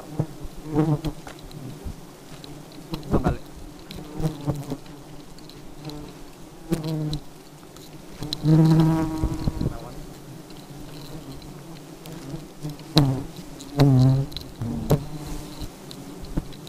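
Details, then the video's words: Honey bees acting very aggressively, repeated deep droning buzzes rising and falling in loudness as individuals zoom by, the strongest passes near nine and fourteen seconds, with clicks and rustling between. "Lebah Madu Sangat Agresif"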